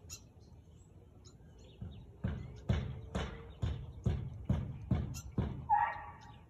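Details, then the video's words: A Husky recorded on 13 March 2021 at 4:17 pm. After a quiet start, a series of about nine gruff barks repeats at an even pace, and a brief bird chirp comes at the very end. "Husky barking"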